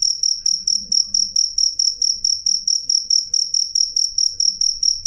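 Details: Cricket chirping loudly and clearly, a high pure tone with a faint higher overtone, pulsed in steady bursts about four per second, continuous with no pauses; faint low rumble underneath.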